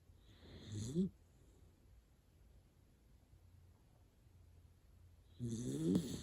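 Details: Hana, a sleeping miniature dachshund, snores like an old man. A raspy, rattling snore sounds, then comes about four seconds of soft breathing hush. Another gurgling, buzzy snore follows near the end.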